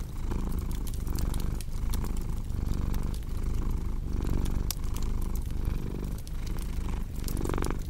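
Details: Deep rhythmic purring from a cat, the rumble breaking into breath-length pulses under a second long, with crackling firewood snapping steadily in the background.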